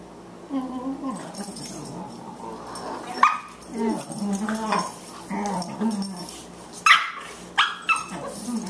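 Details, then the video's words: Two Boxers at play, puppy Margie at 14 weeks and older Lou Dog: rumbling growls and whiny yelps rising and falling, with sharper yips near the end and a human voice partly mixed in. "Boxers at play"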